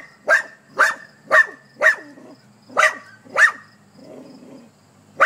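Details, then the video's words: Dog barking at a hedgehog: six sharp, evenly loud barks about every half second, then a short pause with low muffled sounds before another bark starts. "Heroic dog barking at hedgehog"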